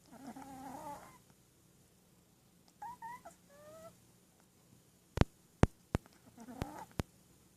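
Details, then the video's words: Sleeping Shih Tzu puppy, dreaming: a nasal snore opens and closes the stretch, with thin whistled double tones rising in between and several sharp clicks near the end. "Snoring shih-tzu puppy"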